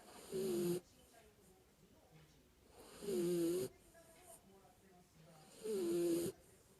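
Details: Kinako the Jack Russell Terrier asleep and snoring. Three snores come at even intervals of about two and a half seconds, each with a nasal, whistling tone riding over the rasp.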